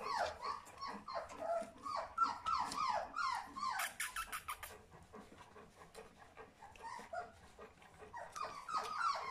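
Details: Charlotte and Magic's three-week-old puppies whimpering almost nonstop, rapid high falling yelps and squeals, several overlapping, with a brief rattling noise midway and a quieter pause before the cries pick up again at the end.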